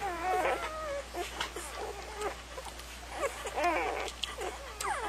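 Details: A litter of puppies whines and squeals, with high wavering cries that bend up and down and overlap in irregular bursts.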